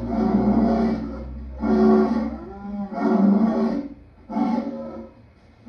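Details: Lion producing a quick series of four hoarse, rumbling roars about a second apart over a steady low background hum.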